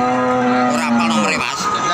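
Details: A cow, recorded as cattle are bought, gives a loud, steady, low moo that lasts over a second and fades out, with dense background noise throughout.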